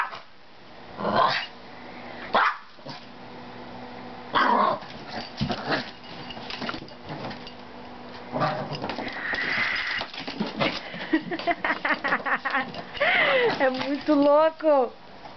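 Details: Pet Maltese dog barking in scattered bursts, then a busier stretch of rapid yips and rising-falling whiny, wavering tones near the end.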